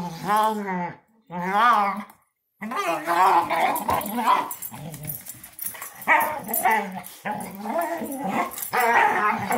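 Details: A German Shorthaired Pointer, a female, wrestling playfully and making odd noises: wavering whine-like moans rising and falling, then steady rumbling growls, with a human voice heard at times.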